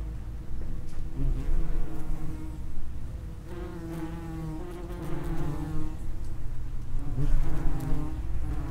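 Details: Several common wasps buzzing around the entrance to their underground nest; dense low droning with wavering harmonic tones that swell and fade as individuals fly close to the recorder.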